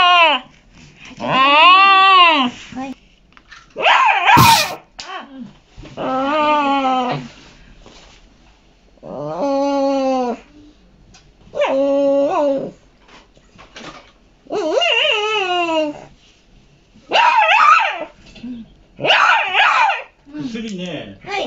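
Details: Sixteen-year-old Shiba Inu crying during the night indoors; a long series of loud, wavering howl-like whines, each arching up and down, separated by short pauses, with one sharp click near the start.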